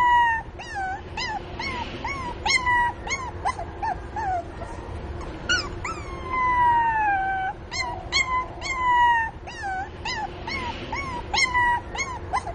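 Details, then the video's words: Mini Pinscher pup whimpering for its mother, a busy run of short rising-falling yelps mixed with a few drawn-out sliding cries, almost without pause. "Filhote de cachorrinho chamando a mamãe | cachorro chorando"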